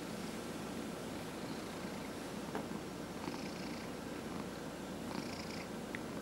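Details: Pet cat receiving a massage purrs in a constant deep buzzing rumble, with a few light rubbing strokes and small taps in the background.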